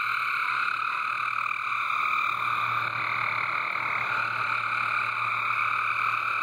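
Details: Frogs calling en masse in a backyard water garden: a steady, unbroken trilling wall of sound with layered pitches, plus a faint low hum underneath.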